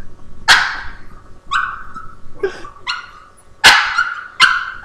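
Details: A Boston Terrier yaps at a Havanese, wanting him to share a treat, captured on a laptop webcam; loud, sharp, uneven barks about once a second, some clipped and shrill, with brief whines between.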